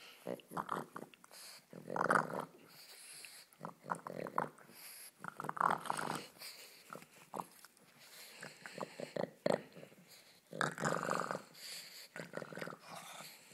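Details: Pet pug Ulisse playing around indoors, giving irregular bursts of rough, growly grunts and snorts of varying length, some loud and sharp, with a human voice mixed in between.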